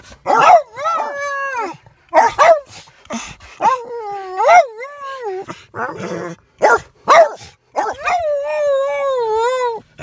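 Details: Two dogs, Oz and Lux, throwing a loud fit on seeing a puppy: bursts of high, wavering whines and yelping barks, some rising then sliding down, ending in a long drawn-out quavering whine.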